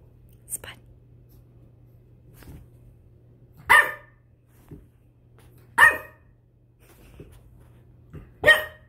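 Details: A 10-week-old French Bulldog puppy discovering his voice while playing gives three short, sharp barks, spaced a few seconds apart, over a steady low hum.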